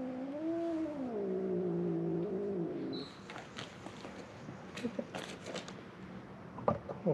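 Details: Feral cat at a closed-down building on Mare Island Naval Shipyard, Vallejo, California, crying in hope of food: one long drawn-out wavering meow lasting over two seconds, then handling noises and quiet clicks.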